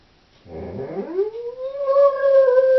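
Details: Alone at home, a female Doberman starts with a low rough growl-like onset that glides up into a steady, clear, high held howl that grows louder toward the end.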